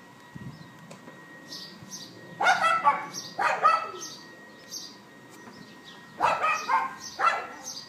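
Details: Neighbour's dog barking at 11:31 AM on April 18, 2012, captured on an iPhone 4S: four loud, harsh yaps in two close pairs, with faint bird chirps twittering between them.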